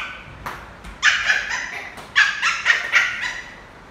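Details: Lhasa Apso puppy, an affectionate adopted male, playing football. Excited, shrill barks with drawn-out whiny tails sound in two bursts, roughly four calls per second, over quiet background.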